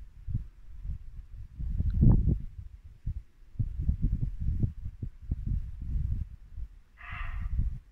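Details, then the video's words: Late-winter dusk in Norfolk woodland: a muntjac deer lets out one sharp, rasping bark near the end, over a background of low burbling water and rumble. "Barking muntjac deer"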